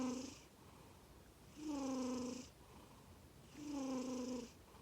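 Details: Male Norwegian Forest Cat Komatsuna, black and white, born 18 April 2020, sleeping and snoring: two full rasping snores roughly a second long, about two seconds apart, with a humming tone over a breathy hiss.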